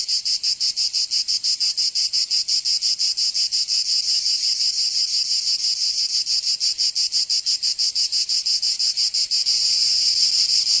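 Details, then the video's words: Cicadas in the summer heat of Provence, southern France: a continuous piercing buzz beating about three times a second, then smoothing into a steadier drone near the end. "Canto Cigarra 🦗 [ Escuchar les cigarras en verano"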